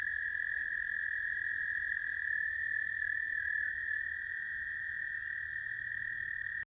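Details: American toad trills recorded 10 May 2022 at South Point, Huron, Ohio: a loud, steady, high musical trill running the whole length with a faint overlapping second toad, ending abruptly.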